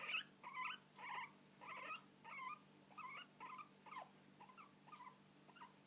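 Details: Guinea pig hiccuping, a run of short squeaky chirps about twice per second, starting louder and fading gradually over about six seconds, with a low steady hum in the background.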